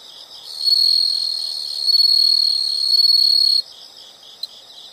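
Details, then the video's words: Insect sound from a nature recording: a loud, sustained high trill of about three seconds that swells twice, then drops back to soft pulsed chirping with one sharp click. "the sound of insects"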